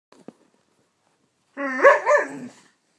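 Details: Siberian Husky pup, playful, gives a drawn-out, wavering woo-like call rising and falling in pitch while burning off energy before bedtime.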